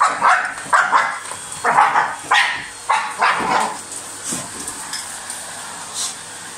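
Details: A dog biting at a running vacuum cleaner lets out a burst of loud, rough barks, some doubled, for about four seconds before fading to softer, scattered sounds over the machine's steady whine.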